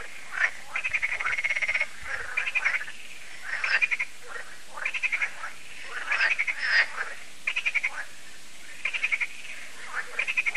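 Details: Evening frog concert at Lac de Sabatte, France: steady chorus of pulsed, rattling croaks in short bursts roughly every second, many frogs overlapping without a break.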